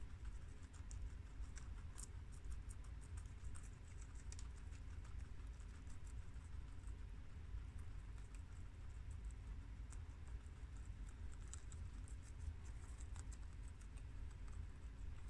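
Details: Guinea pigs eating freshly washed garden romaine lettuce: two boars, a tri-colour and a red American, and two sows, a long-haired mini yak and an Abyssinian. Rapid dry chewing ticks patter on continuously above a quiet low rumble.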